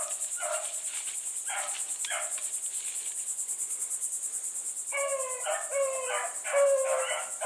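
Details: Bluetick hounds on the run with Sassy, a little white female, in their pack. A few short bays come first, then a pause, then a denser run of overlapping hound voices. A shrill insect chorus hums throughout.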